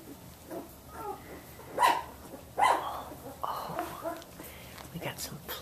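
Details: Samoyed puppies, 17 days old, from Athena's litter in a whelping room, learning to play with each other; short high yips and barks, two louder ones near two and two-and-a-half seconds, mixed with a woman talking softly.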